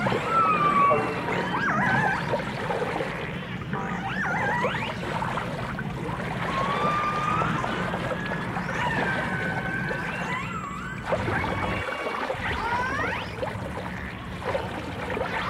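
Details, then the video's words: Dolphins, with orcas also present, in a 1989 stereo recording: many overlapping whistles, short chirps, arching sweeps and thin high tones scattered throughout over a rumbling, watery background with a brief low thump near the twelfth second. "The Enchanting Sounds Of Dolphin Song (Dolphins & Orcas)"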